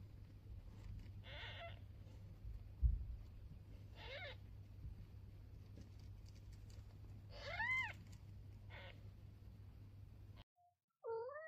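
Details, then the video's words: Newborn kitten on its first day with its mother cat: four short, arching meows scattered across the stretch, one louder at the middle, over a constant low hum, with a different brief sound after an abrupt cut. "Mother cat talking to newborn kitten"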